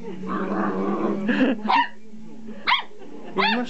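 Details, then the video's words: Young dog excited by a vibrating toy with a pull cord, barking more confidently; a low sustained growl, then three short high yapping barks spaced about a second apart, with human voice between. "Oliver's Found His Bark"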